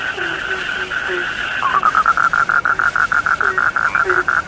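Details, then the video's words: Frog chorus at night; a steady hum of calls gives way to a loud run of regular pulsed croaks, about four per second, with scattered lower chirps. "The sound of frogs lulls sleep"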